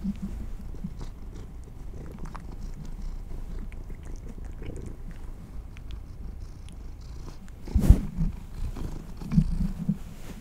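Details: Close-miked house cats receiving treats: a soft, low purr hums steadily, broken by a sharp thump or crunch at about eight seconds and a smaller burst near nine and a half seconds.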